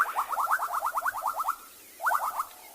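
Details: Frogs calling at a pond on an evening safari drive in Tswalu Kalahari Reserve, South Africa, a species that lays eggs in clumps; rapid pulsed trills of about a dozen notes, then a shorter burst.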